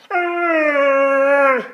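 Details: An almost two-year-old male Alaskan Malamute, indoors, gives a long, steady, tuneful groan that sags slightly and drops away at the end, as if trying to talk to his owner.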